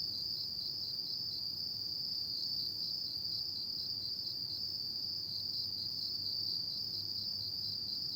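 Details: On an autumn night, insects chirp in one sustained high-pitched trill that barely wavers in loudness, set against soft, low background rumble.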